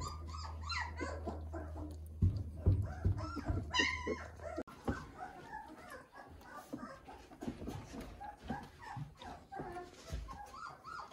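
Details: Weimaraner puppies 18 days old, in 2020, just discovering their voices, give overlapping high squeaky whimpers and yelps, several voices at once.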